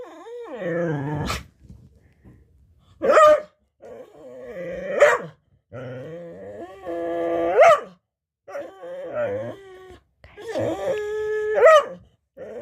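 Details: Chatty domestic dog 'talking' before a snack, giving a series of drawn-out whining, howl-like moans and grumbles in bursts about every two to three seconds, each wavering and sliding in pitch, with short silences between.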